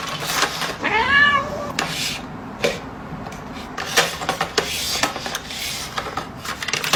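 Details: Domestic cat caught stealing food gives a single arched, rising-then-falling meow near the start, followed by clattering knocks and rustling as it goes about the theft.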